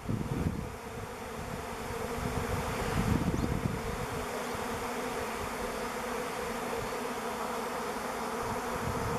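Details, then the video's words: Swarm of thousands of honey bees over a driveway, recorded with a camera on 05-11-21; a dense, steady droning hum with a low rumble, swelling slightly near the middle. "Bee Swarm top of or driveway"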